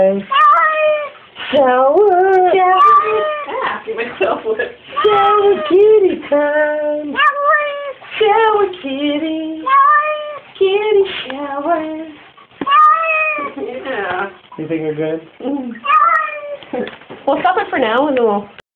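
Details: Glu, a female pet cat, 'talking' while getting a shower: long, wavering, drawn-out yowls and meows strung together almost without pause, rising and falling in pitch, in speech-like phrases across the whole recording.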